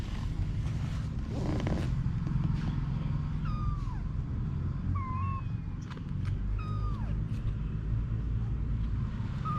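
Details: Mother cat Anna with her kittens: four or five short, thin mews, several sliding downward in pitch, spaced a second or two apart, over a steady low rumble like passing traffic.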